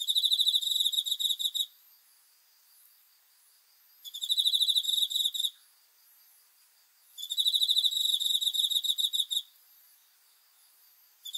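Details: Cricket calling at night, dated 5 August 2020, in three bursts of fast, high-pitched, metallic pulses about two seconds long. The bursts are evenly spaced by quiet intervals of similar length.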